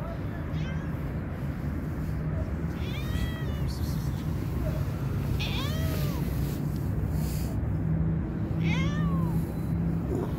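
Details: Very hungry small cat mewing in short, arched cries that rise and fall, about four spread over ten seconds, against constant low-pitched background hum.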